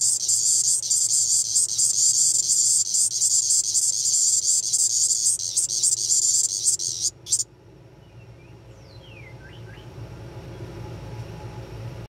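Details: A Magicicada tredecula periodical cicada of Brood XIX, recorded at 3:39 pm (file dated 11-05-22), gives a loud, high, pulsing buzz that cuts off abruptly, leaving faint chirps behind.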